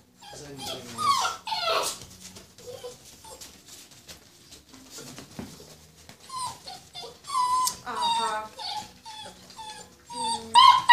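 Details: Purebred Rhodesian Ridgeback puppies, born 14 February 2016, whining and whimpering in high thin wavering cries, sometimes clustered, with human voices talking in between.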